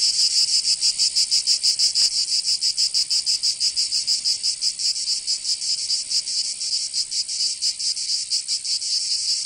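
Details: Provençal summer cicadas in southern France, a high buzzing chorus that pulses clearly at first, then blurs into a denser, more continuous hiss with a few softer dips.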